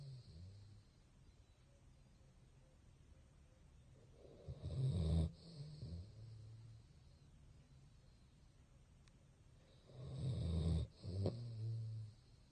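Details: Basset hound Bongyi, officially Boci from Silverlake, snoring while asleep with eyes open; two long, rough, low rumbling snores roughly five seconds apart, separated by quiet breathing.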